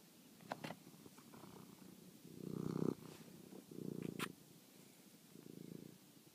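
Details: At night, phone-recorded domestic cat Toby chasing a mouse; rough, throbbing purr phrases swell in four bursts, the loudest near the middle, mixed with sharp clicks and rustles.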